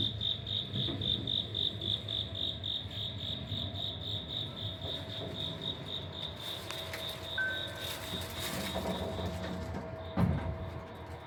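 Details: Autumn cricket in a Tokyo apartment corridor, Wada 1-chome, Suginami, 5 October 2025: clear rapid high chirps for the first half, then fading under louder broadband noise and a few knocks.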